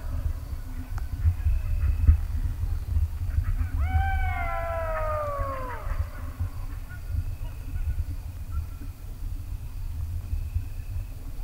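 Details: A golden jackal in Greece in 2023, answering human-mimicked howling, gives a brief, high wailing howl that slides downward, over a steady low rumble.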